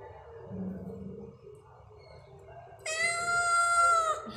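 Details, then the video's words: Stray cat recorded at night at 22:39 on 9 October 2023, giving one long, loud, drawn-out meow lasting over a second, steady then sliding slightly down at the end, after a quiet stretch of low rumbling background noise. "stray cats"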